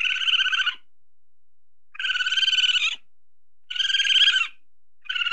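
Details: Tame weasel (musang) searching for food, giving rapid pulsed, buzzy chattering bursts of under a second each, separated by silent gaps of about one second, four bursts in all.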